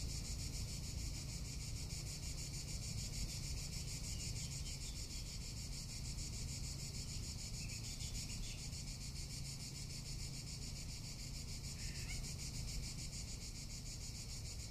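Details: Cicada in Tuscany in summer, producing a relentless high rattling buzz with quick pulses; faint short chirps break in near eight and twelve seconds, and low wind roars throughout.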